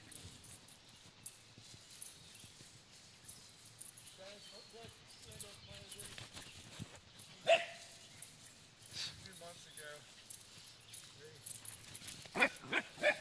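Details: Welsh corgi puppy playing on a farm on its first visit there: a single sharp bark midway, then a quick burst of three or four loud barks at the end, with people talking and outdoor rustling throughout.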